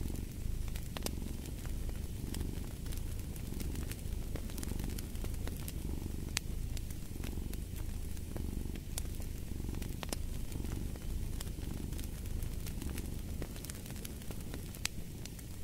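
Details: Cat purring in a continuous low rumble that surges with each inhale and exhale, about one swell per second, over constant crackling and snapping of a fireplace fire.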